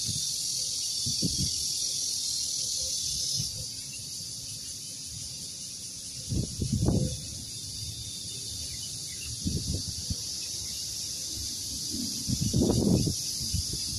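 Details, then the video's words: Cicadas calling on a farm near longan trees, a steady, unbroken high hissing drone throughout, with low thumps and rustling noises at intervals. "蟬聲#cicada sound"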